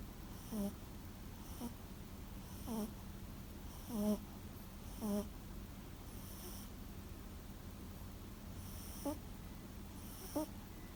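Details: Sara, a Toy Poodle and former rescue dog, asleep indoors and snoring like an old man; short rasping snorts recur roughly once a second, uneven in spacing, over a steady low room hum.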